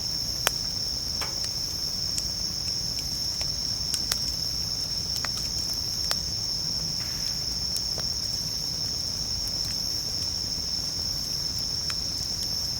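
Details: A continuous high-pitched ringing drone from bell crickets at a camp, unbroken throughout, while a crackling campfire adds scattered sharp snaps and a low rumbling bed of sound.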